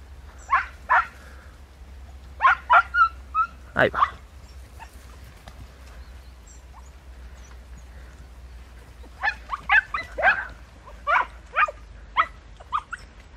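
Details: Podenco hunting dogs working through bramble in Campo Arañuelo, Spain: short bursts of sharp, high yelps, then a long quiet pause, then another run of spaced, ringing barks, with a steady low rumble underneath.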